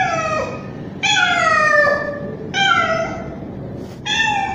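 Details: Male street cat, young, giving a mating call to a female in heat: four drawn-out meows, the first two long and falling, the later ones shorter and clipped, against a faint low hum.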